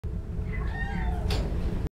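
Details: Concepcion, a Domestic Shorthair cat up for adoption, recorded 1/14/2014, gives one drawn-out meow that rises and then falls, lasting over half a second. A steady low rumble runs beneath it, and a short hissing burst follows.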